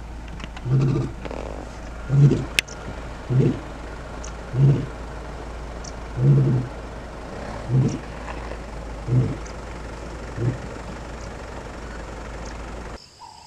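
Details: Male lion of the Gomondwane coalition in Kruger National Park, wild: a series of about eight deep, grunting roar pulses, evenly spaced roughly every 1.3 seconds, over a steady low vehicle engine hum.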